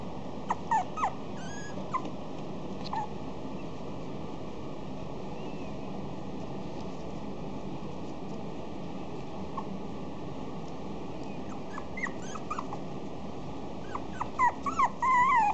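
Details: A female Maltese × Miniature Dachshund cross gives high, thin whimpers and little yips in short bursts.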